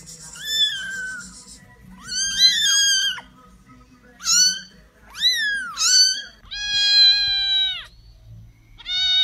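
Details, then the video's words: Rapid series of high kitten meows for ASMR, short squeaky cries with rising and falling shapes, one long flat steady mew near the end, brief gaps of quiet between calls. "10-minute ASMR Meow"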